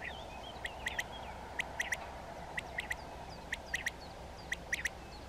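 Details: European ground squirrel from a colony that communicates by voice, giving short, sharp, high calls in quick pairs and triplets, each burst roughly a second apart, over steady background hiss and faint twittering birds.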